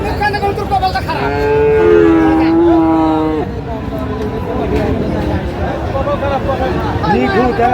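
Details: Friesian bull calf, about four months old, for sale at Raniganj market, Dinajpur, on 24 April 2025. It gives one drawn-out, level moo lasting about two seconds, then bargaining voices and crowd chatter take over.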